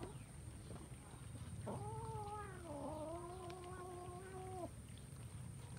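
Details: Several kittens eating rice; one drawn-out meow lasting about three seconds, held level and then dipping slightly before ending, over a steady low rumble and a faint high hum.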